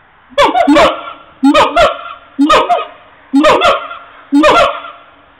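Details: Siamangs, recorded on a mobile phone, repeating a loud, hoarse, honking call roughly once a second, each call a short cluster of bark-like notes with a slight downward slide.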